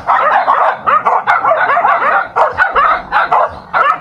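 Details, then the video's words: Dogs fighting: dense, continuous snarling and growling with yelps and short barks, harsh overlapping bursts packed closely together throughout. "Dog Fighting"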